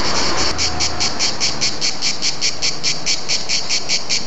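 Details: Cicadas singing in Bordighera: a high, rasping buzz broken into quick pulses, about four each second.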